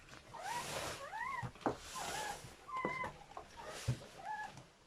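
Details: Squeaks from newborn German Shepherd puppies in a litter of seven, delivered during whelping: short arched whines come in scattered pairs between soft rustling and handling noise, with a few sharp knocks.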